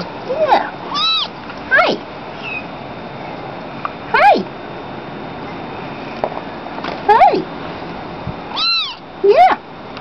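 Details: Tabby Munchkin kitten talking: about eight short, clear meows, some rising, some arching down, spaced irregularly a second or two apart over a quiet room background.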